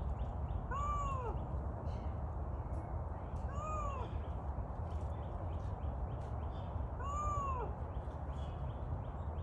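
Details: Rescued Canada lynx in captivity at a wild cat sanctuary giving three brief rising-and-falling mewing calls roughly every three seconds, over constant heavy rushing background noise.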